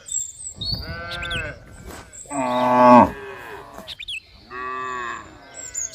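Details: Cows moo in a row of drawn-out, nasal calls, each lasting about a second.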